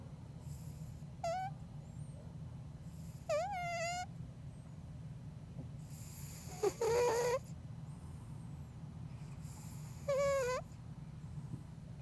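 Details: Bengal cat deep asleep, snoring: squeaky, whistled nasal tones with stacked overtones, some dipping then rising, one raspy and broken, recurring roughly every three seconds over a steady low hum.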